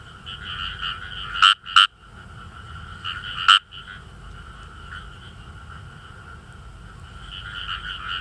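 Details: Indian rice frog chorus from rice paddies in northern Saitama, Japan; three loud clipped croaks near the start, then a steady background of finely repeated "gue-gue" calls from other frogs.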